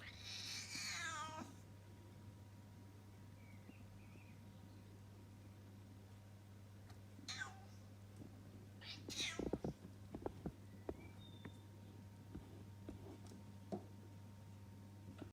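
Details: Cat making funny sounds: a strained, wavering meow in the first second and a half, then near silence with a steady low hum, a few short faint chirps, and scattered clicks and knocks toward the end.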